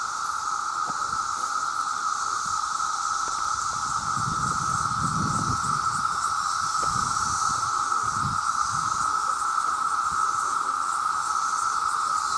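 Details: A vast mass chorus of male cicadas calling for mates: one continuous loud buzzing tone that never pauses, with a thin high shimmer overhead and soft low rumbles near the middle.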